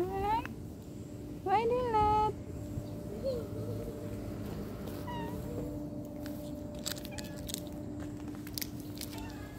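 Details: Cat meowing over separation from its owner: a short rising meow, then a longer, louder wavering meow around the second mark, followed by quieter faint calls amid soft background voices and rustling.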